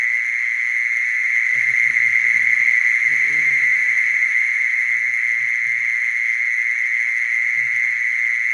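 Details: Steady, continuous high-pitched trill of a mole cricket, never pausing, while soft low murmuring sounds drift in beneath it through the middle seconds.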